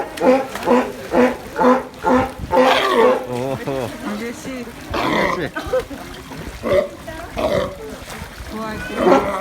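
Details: Sea lion opening with a quick row of hoarse barks, then sporadic guttural calls among people's chatter and water sounds.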